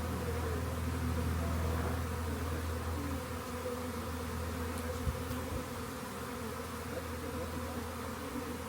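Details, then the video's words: Loud, even drone of a honey bee swarm being collected after being found near a rain gauge, with a heavy low rumble beneath the buzzing and a couple of sharp knocks midway. "Lets Get A Swarm Of Honey Bee's"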